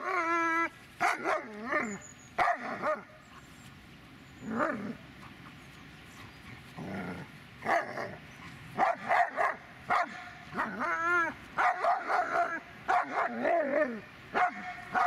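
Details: Dobermann named Magmar Von Der Burgstätte producing a mix of short barks and tonal, wavering whines, irregular bursts across fifteen seconds with brief pauses, some calls bending up then down in pitch.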